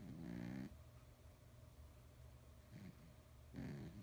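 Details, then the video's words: Sleeping, dreaming male cat weighing nearly 20 pounds, snoring with buzzy, throaty inhalations: one longer rattle, then two shorter ones close together, over soft indoor background hum. "the Fat Cat, SNORES!"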